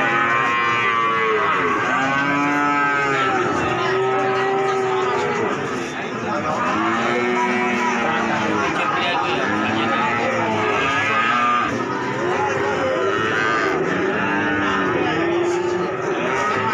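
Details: Calves at the Wage cattle market in Pati, many lowing at once: overlapping drawn-out moos with arched, rising-then-falling harmonics, one after another with barely a gap, under a steady market din.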